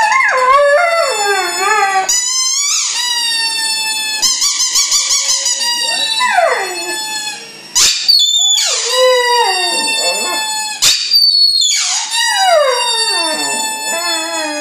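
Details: Howling from Tyson the dog: a run of falling, wavering wails and quick quavering yips, each phrase sliding down in pitch, repeated with short gaps over about fifteen seconds indoors.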